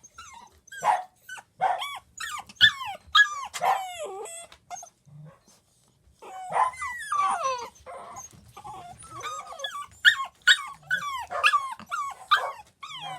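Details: Four young Pembroke Welsh Corgi puppies, siblings shut in their indoor pen during cleaning, crying while their mother brings them toys: rapid high-pitched whines and yelps, falling and wavering, in dense bursts with brief pauses.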